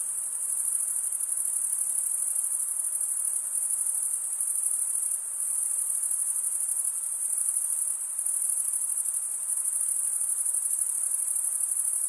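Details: Shrill, unbroken cricket chirping forms a dense high-pitched chorus, with short dips in volume around five and eight seconds; no birds, speech or music accompany it.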